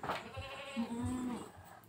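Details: Boer goat on a village farm, kept for crossbreeding with a small native goat; one drawn-out, slightly wavering nasal bleat of about half a second, over low background murmur and faint handling noises.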